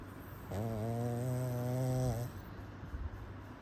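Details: Sleeping pug dog snoring: one drawn-out, droning snore lasting nearly two seconds, low and buzzy with a steady harmonic hum, then fading into quiet breathing noise.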